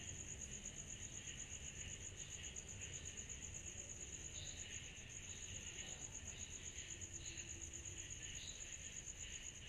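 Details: Cicadas on a summer night: a steady, rapid, high-pitched pulsing trill runs without a break, over a softer buzzing insect band lower down and a faint low rumble in the background.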